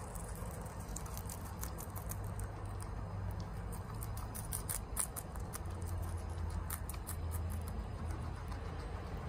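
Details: Female pet guinea pig eating bok choy fast at home, recorded close up: rapid crisp crunching and munching clicks over a steady low hum.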